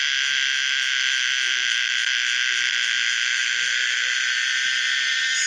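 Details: Common cicada Pomponia linearis producing a continuous, dense, high-pitched buzzing drone that holds steady throughout, with faint low background sounds.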